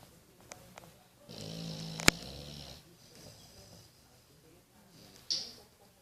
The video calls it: English Bulldog Boris snoring